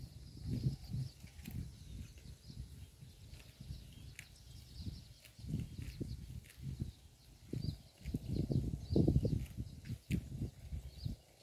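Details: Close-up of a cow eating grass by a road: steady low, rhythmic munching and crunching, about four chews a second, continuing throughout with slight swells in loudness.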